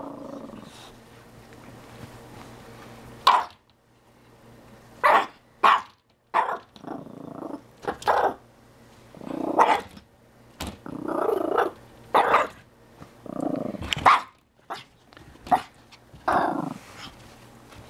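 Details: Chihuahua meeting a tegu lizard indoors, giving short sharp barks and throaty growls in irregular bursts, with a person talking in between.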